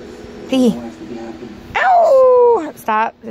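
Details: A male Chihuahua learning to howl, reverting to barking: a short whine, then a drawn-out, falling tonal howl, ending in a sharp bark.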